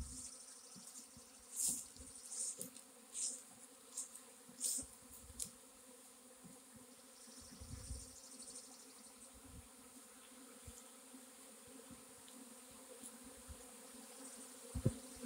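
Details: A honey bee swarm on April 26, 2021, gives a steady, droning hum of many wings beating together.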